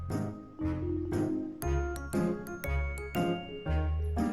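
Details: Bright, jingly music with chiming bell-like notes and a steady bouncing bass, with no animal voices.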